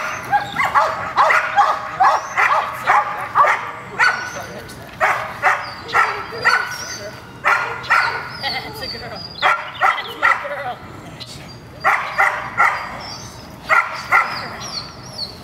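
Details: A female dog named Gold barking in protection training against a new decoy. Rapid punchy barks repeat about twice a second in clustered runs with brief pauses, while people talk in the background.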